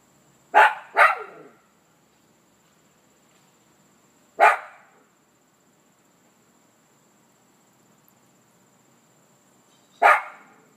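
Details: Toby, a Maltese dog, excited as he recognizes his owner's car arriving: sharp high barks, a quick double bark then single barks spaced several seconds apart, with a faint steady high hum in the background.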